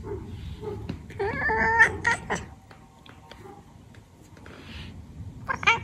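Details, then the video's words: Domestic cat chattering and chirping: a quick run of short, clipped harmonic chirps in the middle, a brief stutter near the end, with quiet room background between bursts. "Funny Cats Chattering & Chirping"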